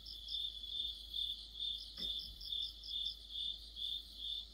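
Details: Autumn insect chorus led by crickets, their bright high chirps evenly spaced at roughly two per second above a softer shimmering layer; one short sharp click sounds near the middle.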